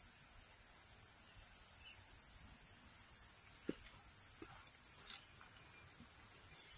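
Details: Crickets along a Needle Hill hiking trail, a continuous, even high buzzing trill without pauses, backed by soft stream noise and scattered faint taps; the insects are said to fall silent when people come near.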